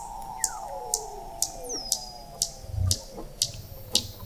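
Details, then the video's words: Weddell seals beneath thick sea ice in McMurdo Sound, Antarctica, recorded November 2017 by an observatory 21 m below the ice: sharp high clicks about twice a second over faint downward-sweeping whistles and a low thump. "Song of the Antarctic Weddell Seal"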